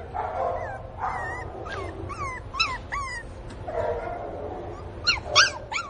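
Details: A Pinscher puppy, Teco, crying over the absence of its mother with quick bursts of short high yelping whimpers, each sweeping up and then down, coming in clusters roughly every second or two.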